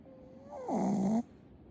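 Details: A sleeping Shih Tzu snoring heavily: a thin whistling tone slides down into one loud, rough, buzzing snore lasting about half a second, then quiet.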